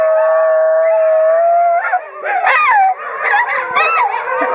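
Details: Group of basenjis in Wimauma singing together, led by a young male rescue dog; a long steady tonal howl gives way after two seconds to warbling, yodel-like bending notes and yips from several overlapping voices.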